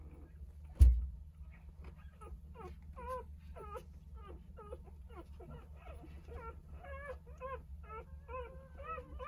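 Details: Jindo mother Sarang gathering all nine of her three-day-old puppies to nurse indoors; after a single loud thump, steady rapid high squeaking and whimpering, several per second, continues throughout over a faint low hum.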